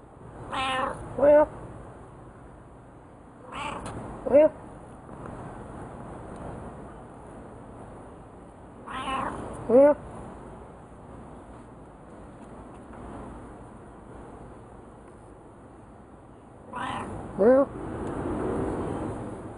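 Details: Pet domestic cat, a keen talker, trading meows with its owner indoors: a person's drawn-out meow imitations alternate with the cat's short, rising, tonal meows, about four exchanges with pauses, over steady background hiss.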